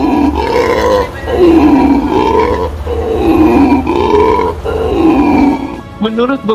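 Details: A black howler monkey gives deep, hoarse, rough roaring howls in rising-and-falling bursts about once a second, a call said to carry up to about 4.8 km. Faint music and a voice sit in the background.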